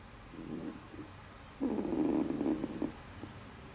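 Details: A stray cat makes a brief low murmur, then a longer rough, pulsing growl-like cry of about a second and a half over faint background noise.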